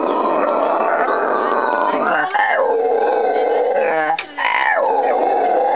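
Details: A pair of howler monkeys "sing" at a butterfly farm just outside Iquitos, Peru, on the Amazon River, in June. They give a very loud, continuous, guttural roar rising and falling in long waves, said to carry over a mile.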